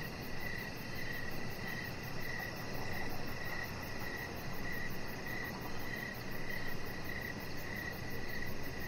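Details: Evening crickets near a deck with a Chihuahua puppy resting. Short bright chirps pulse in an even rhythm, roughly every half second, over soft low-pitched background noise.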